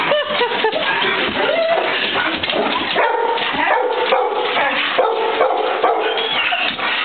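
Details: Two Golden Retrievers, an Australian Shepherd and a mutt greet their returning owner, expecting a ride; a steady stream of high whines, squeals and short yips, with some human voice underneath.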